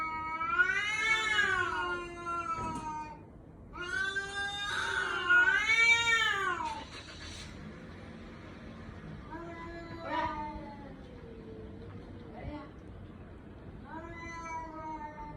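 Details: Cat with a baby-like crying voice: three loud, bending meows rise and fall in quick succession, then several shorter, quieter, plaintive meows follow at uneven intervals against a faint background hum.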